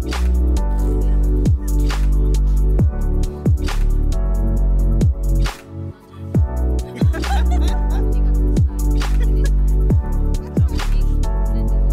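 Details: Loud electronic music with heavy bass beats and brief pauses, some speech mixed in, no animal voices.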